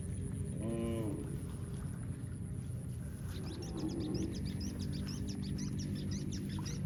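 A cow lets out a short, hoarse moo that swells and fades in under a second. Low rumbling noise runs throughout, with faint high chirps near the end.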